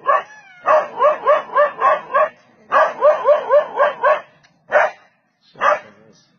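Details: Dog barking as it chases off an attacking leopard: two rapid series of rough barks, about four a second, followed by a pair of spaced single barks near the end.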